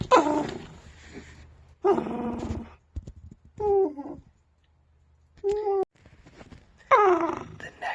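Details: A pet red fox screams indoors at 8 a.m., giving a series of shrill, wavering yelps, each sliding downward in pitch; the owner says he is most vocal when annoyed, such as when woken up.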